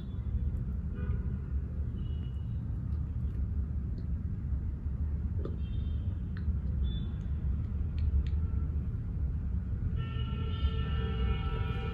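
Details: Steady low vehicle rumble with faint background tones and brief clicks, no animal calls heard.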